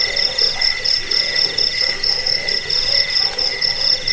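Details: Brief stretch of crickets, presented for repelling rats, sleep and bird training: a high, shimmering trill pulses about four times a second, a lower tone beats along with it, and faint deeper croaks appear.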